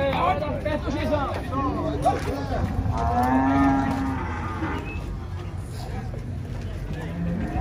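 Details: Brave ox set loose at a cattle fair lets out several short, wavering lowing calls and one longer moo amid constant crowd and fair noise.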